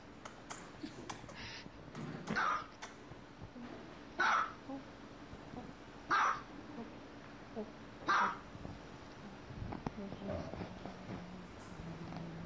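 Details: Playful dogs at home bark steadily, four clipped yaps spaced roughly every two seconds, with a soft murmur of human talk and light knocks in the indoor background.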